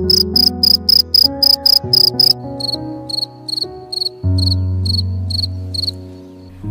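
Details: Cricket chirping, a sound said to herald summer and peaceful village nights. Loud, rapid high-pitched pulse bursts open, then continue more softly in regular groups, all set against steady low music.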